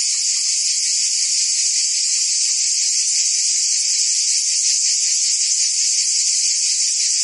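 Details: Cicadas singing in summer in Provence, France: a dense, continuous buzzing chorus, steady and unbroken, with a bright hiss concentrated high and a fainter band below, holding level throughout without pauses.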